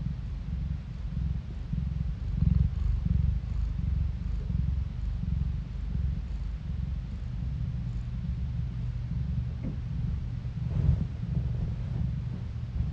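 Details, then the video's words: Low, continuous purr of a pet cat recorded by phone, a dense rumble with gentle rises and a few soft taps and rustles near the end. "스트레스가 풀리는 고양이 골골송 asmr No talking asmr cat purring"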